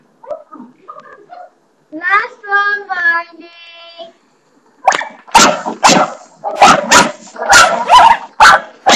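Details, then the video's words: Barney the pet dog barking at the bathroom doorstopper: a few seconds of human talk and a short tonal, voice-like sound come first, then a burst of loud, harsh barks in quick succession fills the last four seconds. "barney barking at the bathroom doorstopper"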